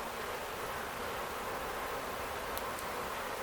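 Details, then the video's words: Honey bee swarm, the keeper's own colony, caught swarming on a farm in Ontario, Canada, on May 11, 2025, first swarm rescue of the year; a dense, steady hiss-like hum of many wings with no pauses. "Honey Bee Swarm"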